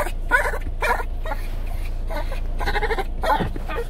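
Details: A 17-year-old Shih Tzu with dementia, restless at night: about six short, harsh, bleating bursts spaced roughly half a second apart in two clusters, over a steady low rumbling background.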